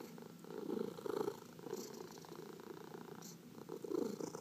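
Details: House cat purring while massaged, one of four pet cats; close, low vibrating purr with short louder bursts in rhythm with breathing, soft rubbing sounds in between.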